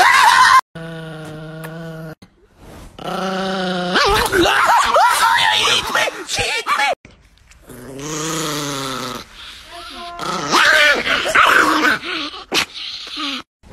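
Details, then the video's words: Angry Chihuahua indoors in a small room, giving drawn-out, tonal growling snarls in three long bursts with sharp yips between, while a person talks and coaxes it throughout. "The most Angry Chihuahua in the world"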